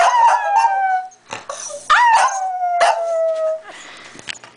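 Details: A pet Shetland Sheepdog, trained to vocalize only when spoken to in a certain way, gives long drawn-out howl-like cries with gliding, slightly falling tones, three main calls with brief gaps between them. An affectionate human voice speaks around them indoors.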